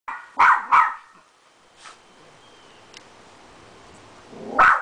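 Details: Beagle dog barking while meeting a poodle: two sharp barks in quick succession, a softer one, then another loud bark at the end, over a quiet background.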